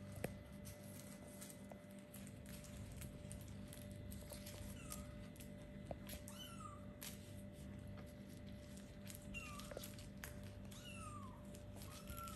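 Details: Little kittens about four weeks old, starting to play and look around, give thin high descending meows scattered through the clip, some overlapping, over a steady low hum and faint clicks.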